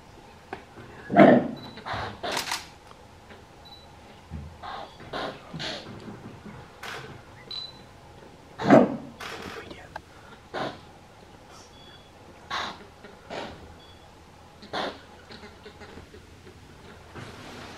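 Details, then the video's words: A greater kudu cow at Blouberg Nature Reserve, Limpopo, South Africa, gives two loud, gruff alarm barks several seconds apart, warning of danger as people photograph animals from a sunken hide. "KUDU COW, ALARM BARK..."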